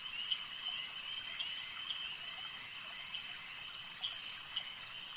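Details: Lakeside frog chorus forming a continuous high-pitched trill, steady throughout, with a few louder clicky calls standing out at irregular moments against a faint background hiss.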